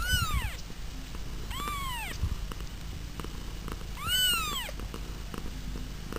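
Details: Three arching meows from pet cats, roughly two seconds apart, each swelling then dropping in pitch. A soft low rumble and faint knocks run beneath them.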